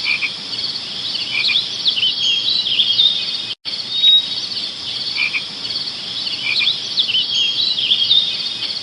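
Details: Insects chirping in a dense, continuous high-pitched chorus of overlapping trills and ticks, steady throughout, with a brief dropout midway where the recording repeats.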